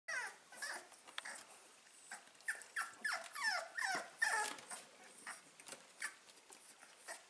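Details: Staffordshire Bull Terrier puppies, five weeks old, recorded 16 April 2019: a run of high, sliding whimpers and squeaky yelps, irregular, several per second at times, in a small room.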